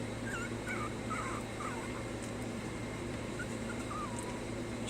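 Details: Young puppies learning to stay whimper softly, a string of brief wavering squeaks and little yips scattered across the clip over a steady background hiss.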